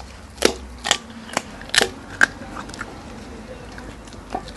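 A young hyena crunches bones, giving sharp irregular cracks and snaps as it chews.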